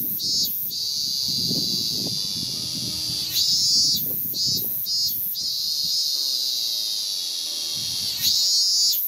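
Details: Early August 2018 in Japan: a male Hyalessa maculaticollis calls from a cherry trunk to attract a mate. The loud, shrill, continuous buzz breaks into brief stuttering pulses, with neighbourhood piano playing softly underneath.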